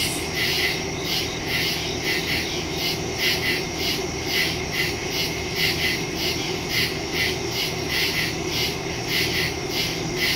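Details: Crickets in woods at night on September 2, 2023, recorded on a Samsung Galaxy S22 Ultra phone with a Shure MV88+ stereo microphone; high pulsed chirps repeat steadily over a continuous insect hiss, with soft low rumble beneath.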